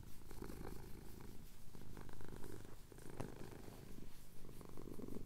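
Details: Contented male cat in the Cotswold hills at sunrise, his chin being scratched, purring in a low, continuous, gravelly drone that rises and softens with each breath, captured on a Tascam DR-07X handheld recorder.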